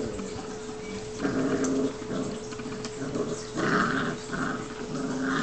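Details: Seven-week-old Newfoundland brothers play-wrestling, giving throaty rumbling growls in two main bursts with lighter grumbles between, a constant electrical hum underneath.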